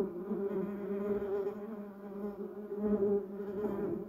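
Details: Low, even hum of bumblebees working yellow cassia and Duranta erecta blossoms, a dense harmonic drone that stays fairly constant, swelling slightly toward the end.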